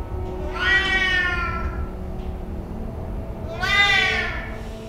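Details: A Siamese cat gives two loud, drawn-out harmonic yowls about three seconds apart, each rising then falling, over soft music; it screams incessantly when its owner tries to create distance.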